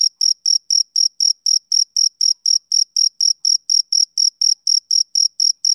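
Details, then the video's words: Brief stretch of male cricket chirping, with piercing high pulses at about four per second in a regular beat and no other sound. "Cricket Chirping"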